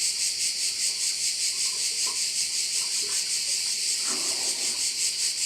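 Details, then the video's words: On the Croatian island of Korčula, crickets by a bay keep up a loud, continuous high-pitched sizzling drone with a regular pulsing beat, while a short low rustle or clatter breaks in near the end. "view of one of the bays in Korcula with sounds of crickets"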